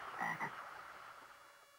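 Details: Toad just awakened from a long winter hibernation, journeying back toward the place where it was born; a brief harsh croak of two quick pulses within the first half-second, then a fading noisy tail.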